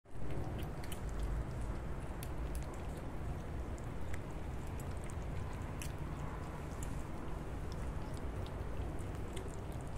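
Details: Several kittens eating wet food indoors: soft, sparse wet clicks and smacks from chewing scattered over a steady low rumble, with no meows or purring.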